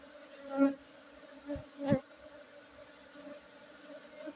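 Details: Honey bees at a hive site among Gayo Arabica coffee plantations in Bener Meriah, Aceh, during a 5 June 2023 harvest; a continuous low drone, with bees zooming past the microphone twice in swelling, fading buzzes.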